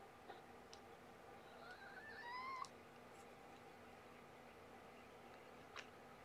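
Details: Shelby, a young cat (about two years old), gives a single rising, tonal meow lasting under a second, set against steady low room hum with a few faint clicks.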